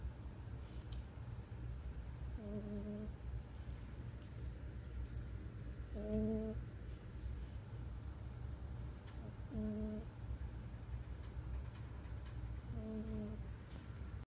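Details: Sleeping cat snores in a small room. Four short, humming, whistle-tinged breaths come at even intervals of about three and a half seconds over a steady low background drone.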